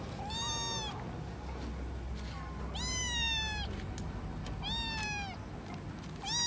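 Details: Kittens meowing, apart from their mother: drawn-out, slightly falling mews, four calls spaced about two seconds apart, each rich in harmonics, over a low steady background hum.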